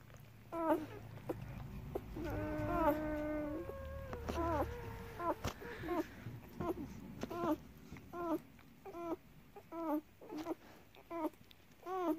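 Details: German Shepherd puppies nursing on their mother's milk give short, high, rising-falling whimpers and squeaks, repeated about once a second.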